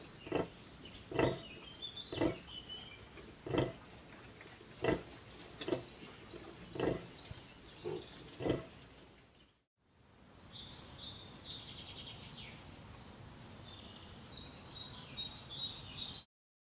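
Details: Bentheimer Landschwein pigs, a sow with eleven newborn piglets on the Osnabrücker Hof at the LWL-Freilichtmuseum Detmold: short, broad grunts repeated roughly once a second for about nine seconds, then after a cut, high chirping birds over a quiet background.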